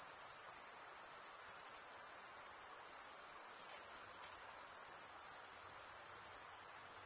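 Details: Unbroken chorus of crickets chirping, a piercing, fast-pulsed high trill at a steady level over a soft background hiss.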